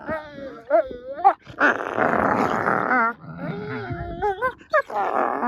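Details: Two wolfdog puppies clowning around and vying over a rope toy: a few short, rising, whiny yips, then a rough, noisy growling stretch, followed by more wavering whines and yelps.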